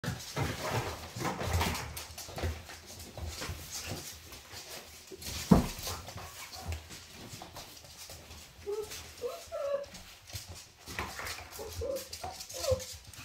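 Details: Five-week-old Labrador puppies play-fighting indoors under their cream Labrador mother Kyla, who disciplines them when they fight; steady scuffling and padding, then short high squeaky yelps in quick bursts in the final seconds.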